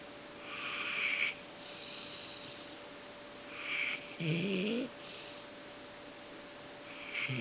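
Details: Golden Retriever Fang snoring loudly at home after a tiring day supporting a friend at a dog show in Intex Osaka. Slow airy snores roughly every three seconds, one broken by a short, low, voiced rumbling note.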